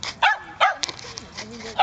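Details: Cardigan Welsh Corgi puppy at a dog park among dogs of various breeds: two sharp, high yapping barks early on, then a fainter yip and scattered small dog sounds, with a voice nearby.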